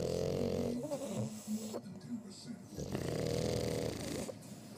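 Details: French Bulldog snoring, a rough rasping breath in low and mid pitch with a faint whistled tone on some breaths, rhythmic but uneven, with background speech.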